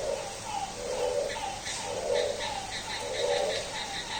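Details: Frog calling at midnight on a rainy day with a goat-like bleating voice: nasal, pulsed bleats roughly once a second, alternating with fainter, higher, rapid pulsed notes from other callers in a steady background hiss.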